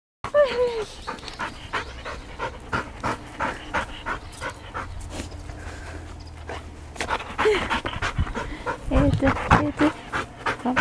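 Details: Pet Labrador Retriever at home in Yaizu, Shizuoka, Japan, on 31 December 2018, visited by a pet sitter; rapid, rhythmic breathy panting runs throughout, with a woman's voice talking over the opening seconds and again near the end.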